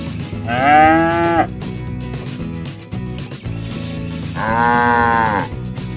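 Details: Cows out in the fields calling their herd mates home to the barn; two drawn-out, clearly harmonic moos about three and a half seconds apart, the first slightly louder and falling in pitch at its close.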